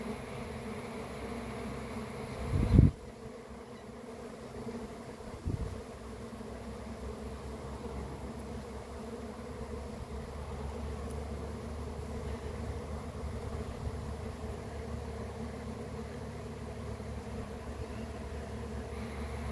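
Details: Continuous low drone from a beekeeper's honey bee swarm, rich in deep humming tones. A loud knock or bump lands early, a smaller one follows a few seconds later, then the buzzing carries on steadily.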